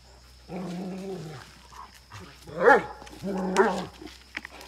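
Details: Great Dane Rana on a farm in Chikkamagaluru, Karnataka, India, barking aggressively alongside a Mudhol Hound: a drawn-out, moaning, harmonic bark-howl, then two sharp, loud barks about a second apart, with a faint steady hum behind.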